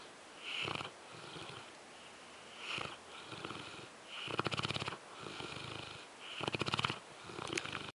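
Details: Sleeping French Mastiff Zues snores in slow, uneven cycles about every two seconds. Each breath is a fluttering, rasping rumble, some louder and more rattly than others, with airy hiss in between.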